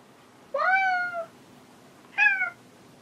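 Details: Indoor pet cat calling while searching for another cat: two clear meows, the first long and level with a slight fall, the second shorter and falling, in a quiet room.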